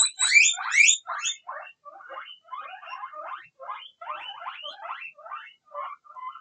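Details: Pet guinea pig screaming after finishing its food indoors: loud high-pitched squeals in rapid repeated bursts, about two per second, the first few strongest and rising, the rest shorter and choppier.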